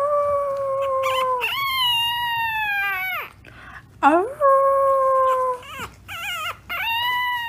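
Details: French bulldog howling in long drawn-out tones that slide slowly downward, broken by short wavering whimpers, with a few brief pauses between calls and faint background noise.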